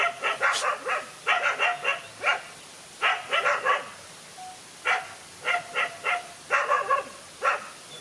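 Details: Fight between a lone dog and two male dogs, heard as choppy groups of sharp barks and yips, three to five per group, spaced by short silences.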